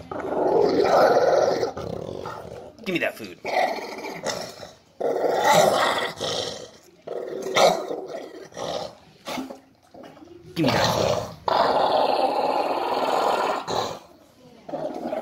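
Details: An 11-year-old pet dog growling angrily when bothered while eating, a habit begun after a younger dog tried to assert dominance: rough, rumbling growl bursts rising and falling in irregular surges, mixed with a man's voice repeatedly teasing.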